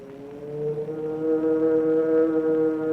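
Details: An underwater recording of a whale's low, sustained moan with steady harmonic tones, resembling a cow's mooing.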